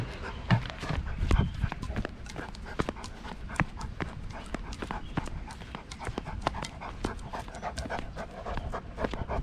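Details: Tibetan Mastiff, a big black dog that walks a couple of steps and then stops to rest, panting in fast, steady breaths that run through the whole stretch, with faint knocks and low rumble behind.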